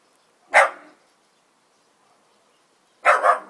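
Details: A newly adopted miniature bull terrier barks at dogs outside: two sharp, single barks about two and a half seconds apart, separated by near silence.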